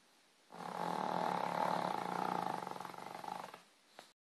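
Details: Pet dog snoring while asleep: a single long, rough, pulsing snore of about three seconds that swells and fades, followed by a brief click.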